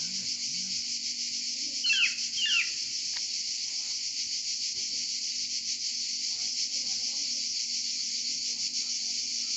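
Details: Continuous shrill chorus of cicadas in Provence, an unbroken pulsing buzz; a couple of short chirping bird-like notes early on and faint low sounds at the start.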